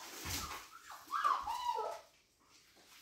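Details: Siberian Husky Baikal, who has left the puppies hungry by taking their plate, gives a wavering, whining vocalization with clear tonal bands that rise and fall over about a second, after a short noisy burst, then quiet room sound.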